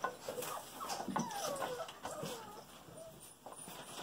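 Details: A Golden Retriever puppy, one of a litter of girls just over five weeks old, works at reaching her toy. Gliding, rising and falling whines come several times in quick succession over soft scrabbling and background noise.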